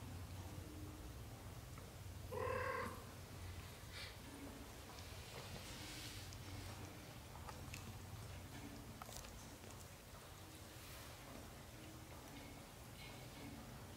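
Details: A single thin, high mew from a British shorthair kitten in its first 30 days, followed by a low purr and soft rustling and shuffling noises for the rest of the recording.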